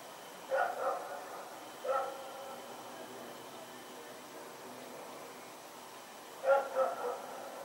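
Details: Night recording from 21 September 2018 of Rex the dog running around: a doubled bark, a single bark about a second later, silence, then another doubled bark, each with ringing harmonics over low hiss.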